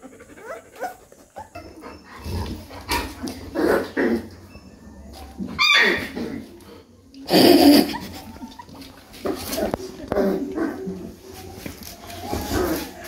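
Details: A 3-week-old Rottweiler puppy whimpers and whines in short, irregular bursts with soft yelps.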